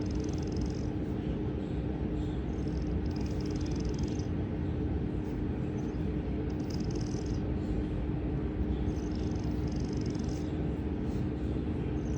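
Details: A pet cat sound asleep, snoring loudly: a dense steady low rumble with a soft hissing breath rising above it roughly every two to three seconds, over a constant faint hum.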